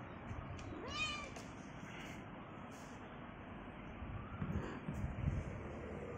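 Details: A hungry cat asking for cucumber gives a single short meow, bending up and then down, about one second in, over steady low background rumble.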